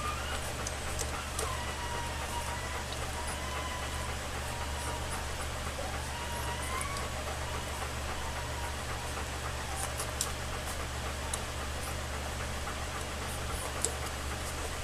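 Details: Alaskan Malamute puppies from Macy and Jack's summer 2014 litter, two and a half weeks old, nursing; thin, wavering whimpers and squeaky whines rise and fall repeatedly over a steady low electrical hum, with scattered soft clicks.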